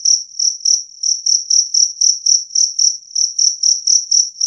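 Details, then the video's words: High, shrill pulses from a two-spotted cricket, repeated nearly four times a second, loud and clean with nothing else audible. "Suara Jangkrik Kalung Jernih"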